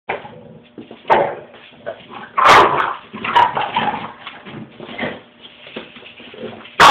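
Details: Scrappy, a pet Boxer, plays roughly with its owner, friendly and gentle with kids; short harsh barks and growly bursts come in quick irregular clusters, loudest in the middle, over a muffled, low-quality background.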